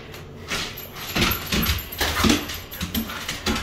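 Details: An excited husky indoors, whining as its harness goes on: short high whimpers and yips at irregular intervals, mixed with breathy snorts and rustling in a small room.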